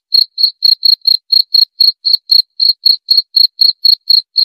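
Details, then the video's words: A cricket, played to soothe sleep and drive away rats, gives sharp high chirps at about four per second, evenly spaced, with a dead-quiet background. "Suara Jangkrik"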